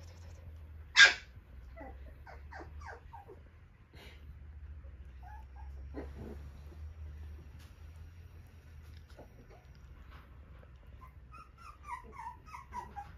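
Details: Cockapoo puppy, a gentle male wearing a yellow-green ribbon, from a breeder: scattered soft whimpers and squeaks after a sharp knock, ending in a run of short high whines that fall in pitch, over low steady hum.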